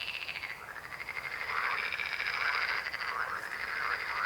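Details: Frogs croak in a dense chorus, fast rattling pulses building in loudness after the first second and holding steady.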